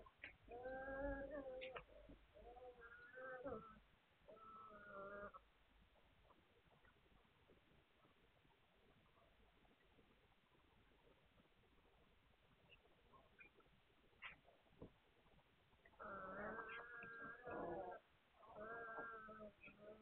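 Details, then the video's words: Hungarian Vizsla puppies recorded 9 March 2021, giving drawn-out, harmonic whines and yelps in two bursts, one near the start and another toward the end, with a quiet stretch of low background rustle between them. "Magyar Vizsla Welpen"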